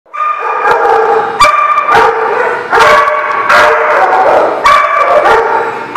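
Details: Dog barking loudly and close, a run of drawn-out, tonal, slightly howling barks with strong harmonics, about five in six seconds, sometimes running together, with no other sounds.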